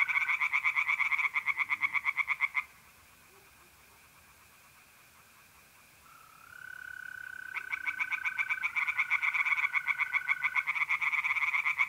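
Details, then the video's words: Tree frogs sing at night by a pond in mid-April in North-East Italy. Fast rattling pulsed croaks come in two long bouts, first and last, with a quiet gap between them. Steady thin trills of mole crickets run under and between the bouts. "relaxing singing tree frogs in pond and trilling mole crickets by night"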